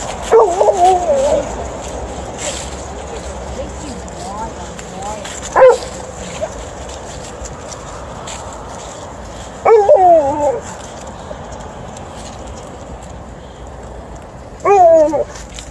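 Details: Alaskan Malamute, a female dog, excitedly greeting her owner coming home: a few short, wavering, howl-like yowls with rising and falling pitch, spaced several seconds apart against quiet indoor background.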